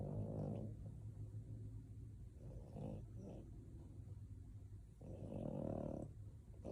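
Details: Male French Bulldog in deep sleep, snoring like a human: low, rough, rumbling breaths in drawn-out bursts near the start, middle and end, with a steady low hum underneath.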